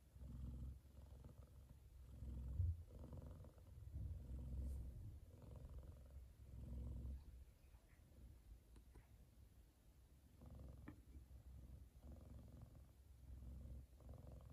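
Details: Sleeping male F2 Savannah cat, content while his brother lies across his head, gives a loud deep purr; low rumbling pulses swelling with each breath, fading softer toward the end, with faint small clicks.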